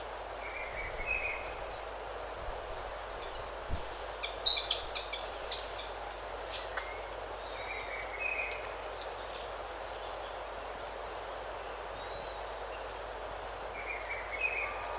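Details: Close-up recording of buffy-headed marmoset calls: drawn-out, very high piercing whistles, some bending downward, in irregular bursts over the first seven seconds, then softer scattered whistles, with faint bird and insect sounds around them.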